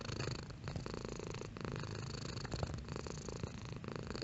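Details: Pet cat purring, a rich, pulsing rumble that strengthens at the start and then settles, breaking briefly about every second as the cat breathes in and out.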